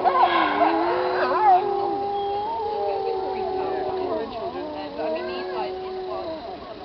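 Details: Pack of wolves singing together in an old recording: opening cluster of yips, then two or three long drawn howls at different pitches slowly wavering and fading.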